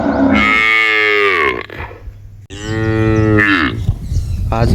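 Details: Female pet cow in a village, lowing as if talking to her owner: two long, loud, harmonic moos, the first sliding downward and the second rising then falling, separated by a short quiet gap over a low steady hum.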